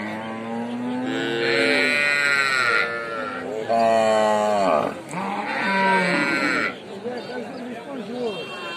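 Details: Calf calling: drawn-out, harmonic bawls that bend in pitch, several in quick succession with short gaps, the later ones shorter and wavering; faint voices in the background.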